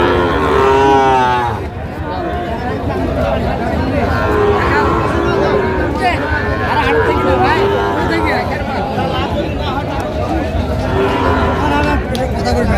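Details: Sahiwal bull calves at a crowded cattle market in Comilla, Bangladesh, on 19 April 2025; a harmonic, drawn-out moo opens the scene, then further lowing rises and falls beneath steady crowd chatter and men talking.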